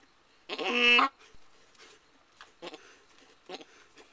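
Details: Mary, an Alpine/Nubian doe giving birth to her first kid of the year on 14 May 2010, lets out one loud, strained half-second bleat, then only faint rustles follow.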